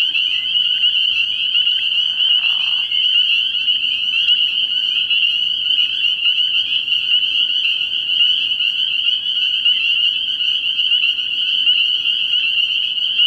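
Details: A crowded chorus of spring peepers at a frog pond at night early in the year, shrill high peeps running together into a continuous ringing sheet of sound, with a brief lower rasp around two seconds in.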